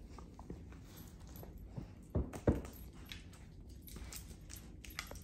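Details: A 10-year-old male Weimaraner indoors gives two short, harsh coughing gasps in quick succession over a low hum. The weird cough comes mostly in the mornings and sometimes when he is excited.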